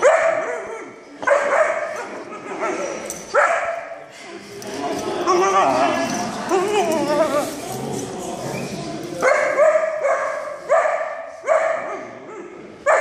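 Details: A Vizsla puppy, very vocal on its first day at puppy school, gives repeated high yipping barks and whines, with people talking nearby.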